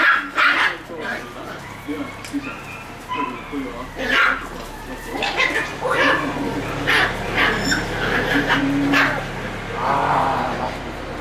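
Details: Several Shiba Inu puppies crowding around someone's feet, making it hard to walk; short whimpers and yips rise and fall among people talking, with shuffling and footsteps.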